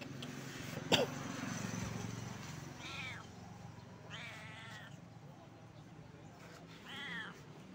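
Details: Pregnant stray cat sitting limp at the edge of a shop on the street, giving three drawn-out, wavering meows spaced a few seconds apart, after a sharp knock; low traffic-like rumble underneath.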